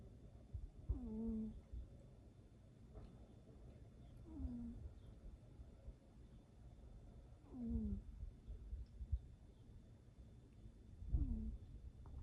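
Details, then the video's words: Cat snore with low rattling breaths and a thin squeaky whistle at the end of each one, four breaths heard at intervals of about three and a half seconds. "как храпит кот"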